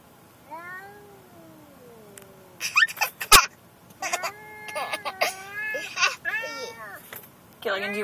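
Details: Gilligan, a vocal pet cat made angry by a car ride to the vet, gives a long drawn-out meow sliding downward. Bursts of talk and a child's laughter follow, mixed with further wavering meows.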